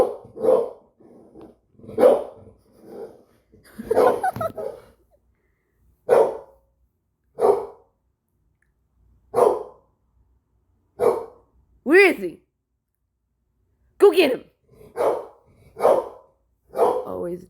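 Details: Dog barking at a wall out of nowhere: a long, irregular run of about a dozen barks over seventeen seconds, with one drawn-out, rising and falling whine-like yelp in the middle.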